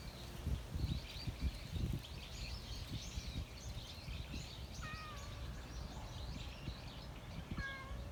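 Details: Outdoors in a park, a stray cat gives two short mews late in the passage, each a quick slightly bent tone, amid a dense backdrop of twittering birds, low traffic-like rumble and rustling.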